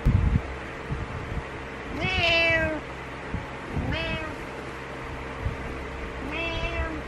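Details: Impatient house cat calling to wake its owner in the morning: three wavering meows, the first longest, spaced about two seconds apart, with a faint rustle at the start and a constant background hum.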